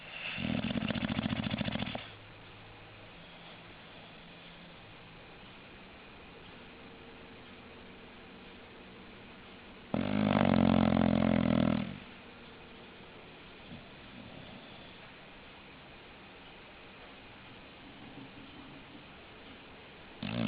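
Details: English Bulldog snoring indoors: two loud rasping snores about ten seconds apart, each lasting around two seconds, with a quiet low hum between them.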